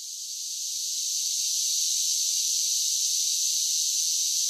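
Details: Summer cicadas singing: a steady, dense high-pitched buzzing drone that swells slightly in the first second and then holds even and unbroken, with no other sounds.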